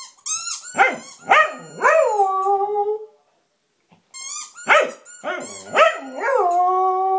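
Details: Samoyed Blizzard howling at his squeaky toy in two bursts, each made of three or four sharp yelp-starts that bend into drawn-out, steady howls, separated by about a second of quiet.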